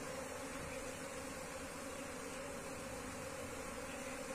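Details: Wild Asian honey bee colony being moved into a hive box; a steady, dense droning hum of many bees holds one unbroken mid-pitched tone throughout.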